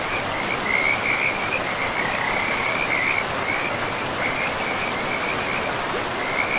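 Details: Forest river frogs give a chorus of quick trilled notes at one steady pitch, phrases running into each other without pause, set against the continuous hiss of a river flowing through mossy woodland.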